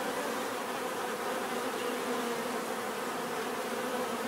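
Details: Steady swarm hum of bees, a thick continuous buzz with no pauses and an even loudness throughout.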